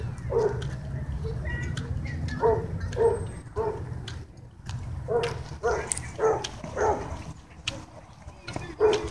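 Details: Dogs at a dog park where play turns into a dogfight; bursts of short barks in clusters over a low rumbling background, with human voices faintly mixed in.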